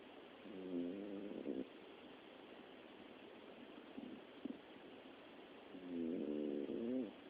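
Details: Miniature Dachshund asleep and snoring, a frequent habit day and night; two rasping, tonal snores about five seconds apart, the second longer, with faint soft clicks and snuffles in the quiet gap.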